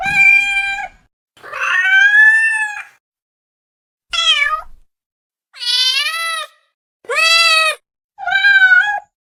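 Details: Domestic cats, six separate meows with silent gaps between: some flat and steady, others sweeping down then up, loud and clean.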